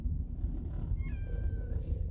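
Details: A domestic cat, one of five cats crammed together in a transport carrier on a trip to the vet on 23 December 2016, lets out a drawn-out, gently falling meow over a steady low rumble; the owner says the meowing shows they're stressed.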